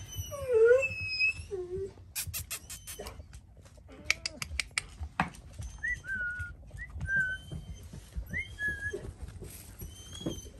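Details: Dalmatian puppies about four weeks old whining: a loud rising-and-falling squeal at the start, a second shorter whine, then scattered thin chirping squeaks, with clicking and knocking sounds and faint talking in the background.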